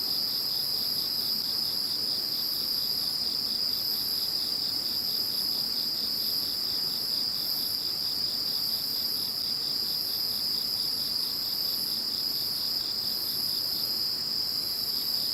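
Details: A post-typhoon insect chorus following Typhoon No. 21: an unbroken shrill trill holds steady throughout, while a higher voice pulses in regular beats over it.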